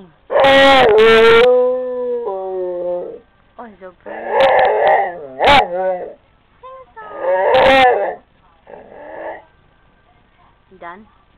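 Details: A female Rottweiler howls in long, wavering, tonal phrases while lying on a couch, with a person's voice joining in.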